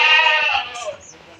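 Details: Castrated billy goat, 14 to 15 months old, loaded into a vehicle after sale for Eid on an Indian farm; a bleat trailing downward over half a second, with faint background noises after.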